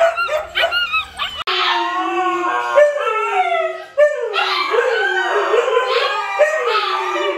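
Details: Siberian Huskies, a group with puppies, howling: a few short yips, then long sustained howls with wavering pitch, several voices overlapping in a steady chorus, one howl ending and another rising in.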